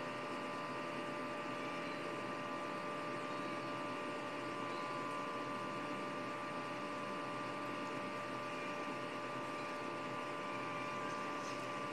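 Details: A steady mechanical drone fills the room, like an engine or fan, with a few constant whining tones and no animal voice.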